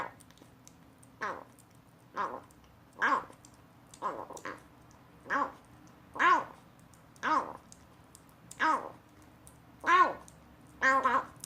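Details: Young rescued cat, once abandoned in a box, trying weaning food for the first time. About eleven brief, rising-and-falling nasal mews sound at roughly one-second intervals against a low steady room hum.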